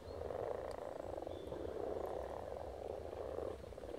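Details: Spawning frogs in Silton Forest give a thick, unbroken chorus of low croaks that merge into one churning drone, with a few faint high bird notes over the top.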